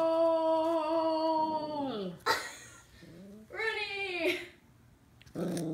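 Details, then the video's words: Two-month-old Scottish Terrier puppy meeting a tennis ball for the first time, giving a long steady high whine that slides down, then short yelping whimpers and a rising squeal, with bursts of rustling between calls. "Scottish terrier Scottie puppy versus the tennis ball"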